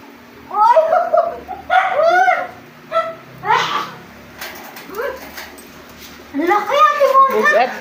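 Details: Golden retriever Thena, a big female of about 30 kilos, gives a run of rising and falling whines and yowls in bursts, loud then quiet, then a longer vocal stretch near the end, with people talking over her.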